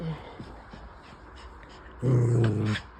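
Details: A Pomeranian called Bubs, one of two dogs, gives a short, low, rumbling growl lasting under a second near the end. Quiet room murmur comes before it, and a person speaks to the dog nearby.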